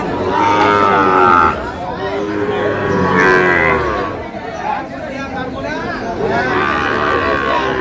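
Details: Sahiwal bulls at a busy cattle market in Tangail, Bangladesh, dated 9/5/25, where farmers are buying; low drawn-out moos rise through the steady murmur of crowd chatter and bargaining voices.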